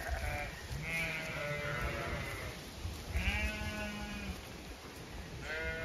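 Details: Zwartbles ewes in a field in County Kilkenny, Ireland, on an autumn day: softer, more distant bleats, some low and some higher, come at intervals over a rumbling wind-like background.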